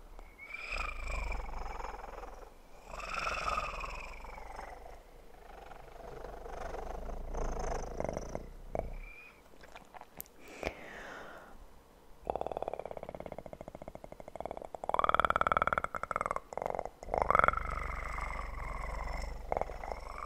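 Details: Kitten purring in an ASMR recording, a steady low rumble broken by louder rustling and tapping noises from visual triggers, with bursts of handling sounds in the second half.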